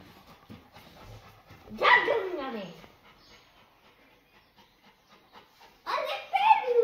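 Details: Labrador Retriever named Raja, indoors while a child hides behind a curtain, lets out a sliding whine that drops steeply in pitch. After a quiet stretch comes a higher, wavering whimper burst, with faint voices in the room.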